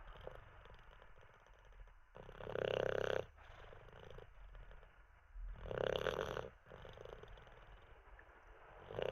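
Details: Olde English Bulldogge named Teddy snoring while dozing after treats and a wee; two loud rasping snores about three seconds apart, each lasting under a second, with softer wheezy breathing between.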